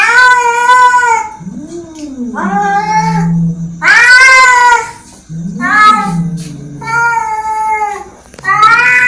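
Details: Angry cat giving drawn-out, wailing meows that alternate with lower, moaning growl-like yowls, about five loud calls with short pauses between them.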